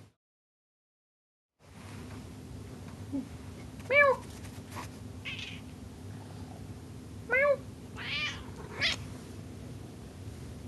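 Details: Indoor house cat giving two short meows, at about 4 and 7.5 seconds, each a brief harmonic call, with fainter rustling and soft noises between them in a quiet room.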